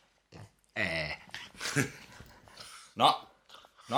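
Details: French Bulldog Loki letting out weird noises: a drawn-out harmonic whining moan, a rough grumbling stretch, then sharp yelp-like bursts at the end.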